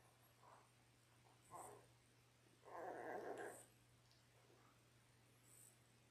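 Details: Ten-day-old Labrador Retriever puppies, a litter of six born January 18, 2022, filmed indoors on a puppy cam: a few soft brief whimpers, then a louder rough, grumbling cry lasting about a second, over a steady low electrical hum.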